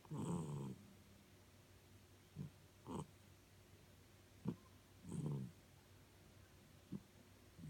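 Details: Norfolk terrier snoring while asleep indoors: low, rough, rattling breaths in uneven bursts, a long one at the start, then shorter snorts at irregular intervals of one to three seconds, quiet room otherwise.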